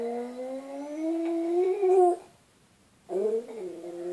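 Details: Buddy the dog howling indoors, a sound that wakes its owner: a long, rising, tonal howl with rich harmonics, breaking off after two seconds, then a short wavering howl resumes after a brief silence.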